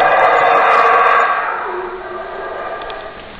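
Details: Howler monkey letting out a powerful, harmonic-rich roar that holds steady for over a second, then trails off into a lower, fading drone.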